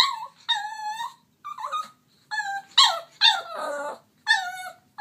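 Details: Turbo the dog pleads for his toy with repeated high whines, each about half a second long and spaced by brief pauses, some bending downward at the end.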